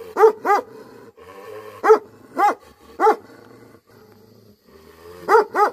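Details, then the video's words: Angry Tibetan Mastiff, known in Nepal as Bhote Kukur, barking: deep, harmonic barks, some in quick pairs, seven in under six seconds, separated by short quiet gaps with faint low background hum. "Angry dogs barking effect sound ||Tibetan Mastiff || Bhote Kukur"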